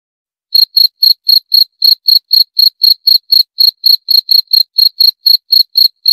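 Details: After a moment of silence, a cricket starts a run of bright, high chirps repeated about four times per second. No background sounds.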